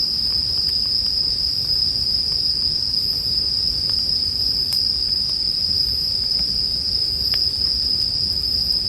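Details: For sleep and relaxation, bell crickets keep up a seamless shrill ringing tone, while a gently crackling bonfire adds sporadic sharp snaps.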